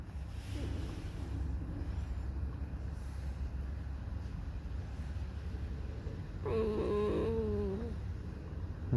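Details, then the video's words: Alice the pet fox, in a whining mood and being contrary, gives one drawn-out, quavering, harmonic whine of over a second late in the recording, above constant low-pitched rumbling noise. "Lis Alicji. Skrzypi, śpiewa smutny piosenkę"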